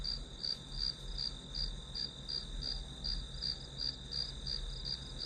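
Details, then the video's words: Grass insects chirping as white noise for studying: a high, pulsed trill repeated almost three times a second in a steady rhythm, over a low constant hum and faint background noise. "풀벌레 소리"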